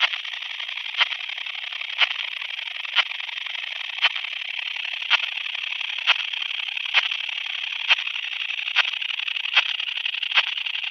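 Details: Common sickle bush-cricket, Phaneroptera falcata, in Scheyern, Germany, on 1 October 2020, picked up with a Pettersson D 100 ultrasound detector: short dry ticks repeated about once a second over a steady hiss.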